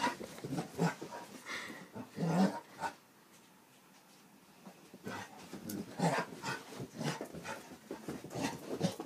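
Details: A dachshund and a basset hound playing together indoors: rough, throaty play growls and grunts come in bursts of about half a second, with a quiet gap of nearly two seconds in the middle before the growling resumes.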